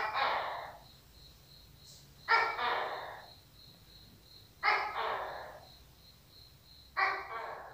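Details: Tokay gecko giving a series of harsh, croaking barked calls, each dropping away over about a second and repeated every two to two and a half seconds, with a faint steady high whine behind.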